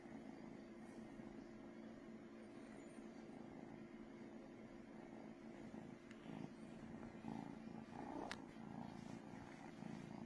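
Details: Brooklyn the cat purring very loudly, a steady low rumbling drone that runs unbroken throughout, with a few faint clicks and rustles near the end.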